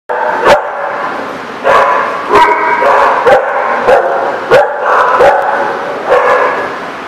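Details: Dogs at a dog park on 8/25/17, several barking in overlapping bursts, loud harmonic barks with sharp clicks and a continuous chorus of yips throughout.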